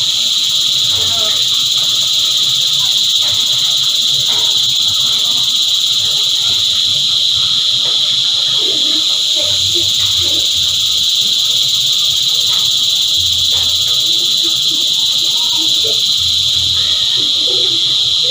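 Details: Steady massed cicada song, a loud shrill whirring sheet of sound with no breaks or pulses, layered at several high pitches, over faint low thumps and soft scattered background noises.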